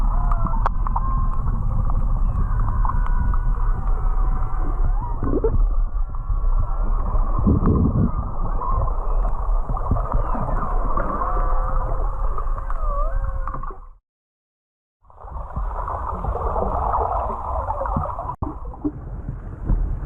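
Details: Underwater whale song heard while snorkeling off Charley Young Beach, Kihei, Maui: wavering moans and squeals layered over heavy low rumble, with background music.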